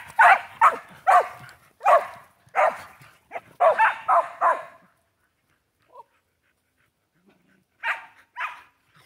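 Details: Excited Shelties with a new flying squirrel toy let out a fast run of about ten sharp barks, a pause with a soft squeak, then two more barks.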